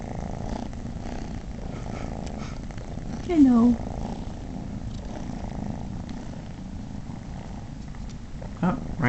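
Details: Momotaro, a male house cat, purrs happily while three unrelated kittens nurse on him indoors. A steady low rumbling purr runs throughout, broken by a brief vocal squeak and soft human speech.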